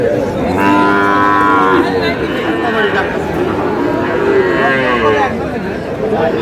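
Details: Sahiwal bull calves at a busy cattle market where a Munshiganj farmer is buying, 24/3/26; two long, harmonic moos, each a second or more, rise and fall over constant crowd chatter.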